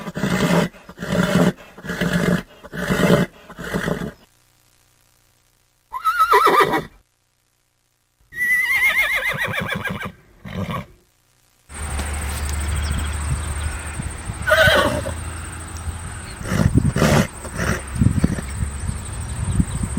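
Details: A horse starts with rapid low snorting bursts, then two high whinnies that slide down in pitch, followed by a steady hiss with a thin continuous high tone and scattered knocks.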